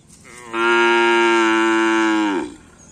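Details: Cattle at a Karapan Sapi bull race training session held as a friendly gathering at Asemanis field; one loud, steady, even-pitched moo lasting about two seconds, ending with a short downward slide, against faint background murmur.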